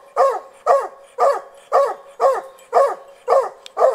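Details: Just-over-one-year-old hunting dog barking at a wild boar held in a snare during boar-hunting training; eight evenly spaced, forceful barks about every half second, each with a slight falling tail.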